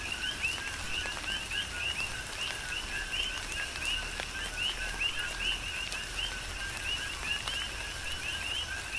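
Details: Many coqui frogs on Hawaii's Big Island call in tropical rain, their rhythmic co-qui notes overlapping: a lower first note and a higher rising whistle, repeated nonstop under a constant hiss of rainfall and sharp raindrop ticks.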